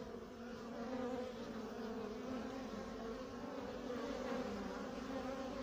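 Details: Drone honey bee, a male with wings a little chewed up, still circling the beekeeper; continuous even buzzing drone with stacked low tones that waver gently in pitch throughout.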